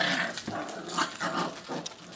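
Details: Six-week-old puppies at rough play, one said to be acting the bully with its tail wagging; short, rasping growl bursts repeat about every half second, with scuffling noise in between.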